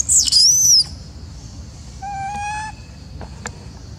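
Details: Female macaque, apparently jealous and upset while an old female is being fed, among a group waiting for food: a high, arching squeal in the first second, then a steady, harmonic-rich tonal coo near the middle, with faint clicks.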